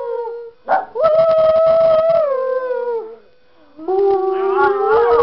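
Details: Miniature Schnauzer dog singing along to a tune, giving long wavering howls that hold steady then slide downward, a short yip near the start, a pause, then a rising howl that climbs at the end.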